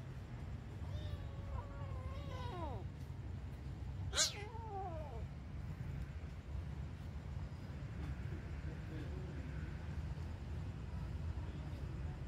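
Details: Domestic cat giving two drawn-out, wavering meow-like wails, the first bending downward near the second second, the second sharper and rising then falling near four seconds, over a steady low rumble of background noise.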